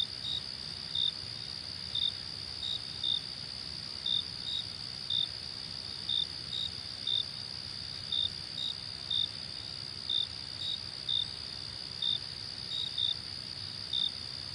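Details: Night crickets: a sustained thin, high trill, with short bright chirps repeating about once a second, fairly evenly spaced, over a soft low rumble.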